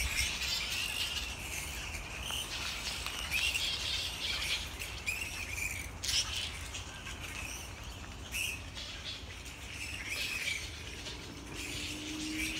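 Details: Evening chorus from a grey-headed flying fox colony in Sydney, Australia: dense, overlapping high squabbling and chittering from many animals, in rapid irregular bursts, with a faint low drone late on.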